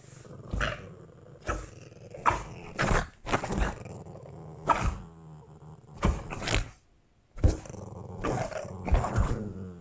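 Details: Boston Terrier growling and snarling during a fight while Christmas sweaters are being tried on: harsh, rough growls come in loud bursts of about a second each, with a short gap near the seven-second mark. The sounds are close and indoors.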